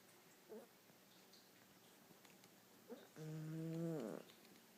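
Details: Buna, a female Dachshund, snoring quite loud during an afternoon nap: a soft snort near the start, then a drawn-out tonal, nasal snore lasting almost a second and ending in a falling rasp, in a quiet room.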